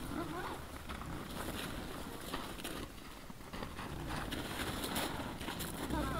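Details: Wild boar (Sus scrofa) in front of a trail camera at 20:17 on 17 December 2022 give low, rough grunts and snorts against a steady background hiss.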